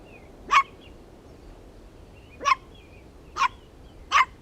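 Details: Puppies playing tug-of-war over a toy with their mother dog outdoors: four short, sharp, high yapping barks spaced irregularly about one second apart over a quiet background.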